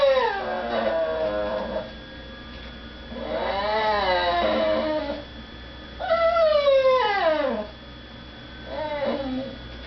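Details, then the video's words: Female pet dog crying indoors because people are eating in another room and she is kept from begging at the dinner table; three long, wavering whines with harmonics, the last sliding steeply downward, separated by short pauses. "My dog makes funny noises."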